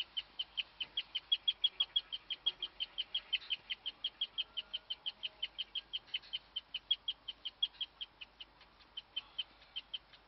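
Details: A female guinea pig in a hutch, recorded in the dark, gives a long run of high, bird-like chirps, several each second, a rare call of unknown purpose; she chirped for ten minutes while other guinea pigs froze.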